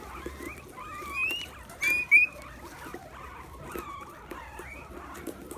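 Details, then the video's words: Guinea pigs eating a pumpkin give a few clear squeaks, rising and bending tones with bright overtones, the loudest pair near the middle, against soft chewing and a low hum. "Guinea Pigs munching on a Pumpkin!"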